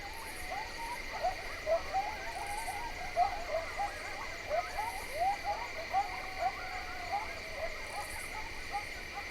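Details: Coyotes (Canis latrans) yip and bark in an overlapping crescendo chorus from ponderosa-pine hillsides along Nebraska's Niobrara River on a warm, still late-September night under a nearly full moon, over a steady high drone of insects.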